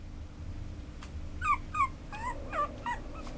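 A small Chihuahua-Papillon mix dog whines in brief, high, falling whimpers and yips, several per second. A low indoor hum runs underneath.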